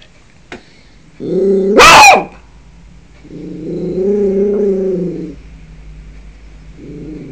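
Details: Yorkshire Terrier guarding the house: a low, harmonic growl rises into one loud, sharp bark, then a longer rumbling growl and the start of another, recorded indoors on a phone.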